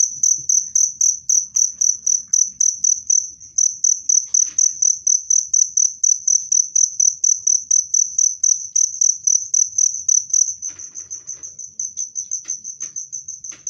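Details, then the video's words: Cricket chirping loudly and clearly, a steady high-pitched trill in rapid pulses, about four per second, continuous throughout with a brief shift near the end; faint low rumble beneath. "SUARA JANGKRIK PENGUSIR TIKUS jernih dan keras"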